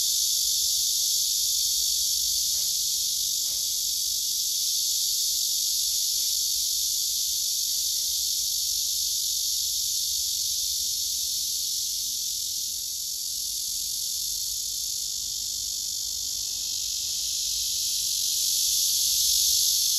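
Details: Male cicadas singing on a tree, filmed by phone, several gathered on the trunk: a loud, steady, shimmering hiss-like drone fills the high range throughout, with faint clicks near the start.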